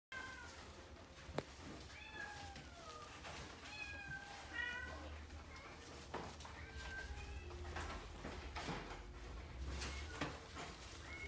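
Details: American Shorthair cat meowing indoors: several short, harmonic mews with gently falling and arching pitch, spaced irregularly across the recording over a steady low hum and faint background voices.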